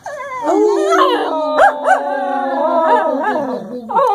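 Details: English Cocker Spaniels, two dogs singing a howling duet: steady drawn-out howls with layered harmonics, overlapping voices and quick upward yips breaking through, continuous throughout.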